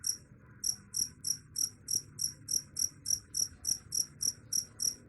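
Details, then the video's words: Cricket chirping, a sound said to drive away rats: high, pulsed double-band chirps repeated steadily about three to four times per second, with a faint low background hum. "Suara Jangkrik _ Bisa Usir Tikus"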